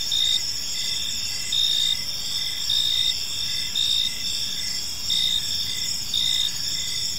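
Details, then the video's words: Park crickets at dusk give a steady high ringing trill, while one louder chirper repeats short bright bursts about every second and a half above the ongoing chorus. "Cricket Sounds in a Peaceful Park"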